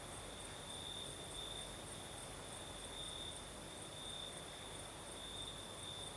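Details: Crickets singing at night in the south of Crimea with a night breeze: a steady high-pitched trill with pulsing pure tones, continuous throughout, over a broad hiss of breeze and distant low rumble.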